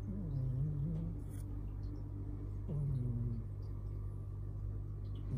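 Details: Tio, the household's father cat, asleep after tiring himself out with play, snores loudly: two low, droning breaths with a rough rumbling hum, the second beginning near the three-second mark, over a steady low background drone.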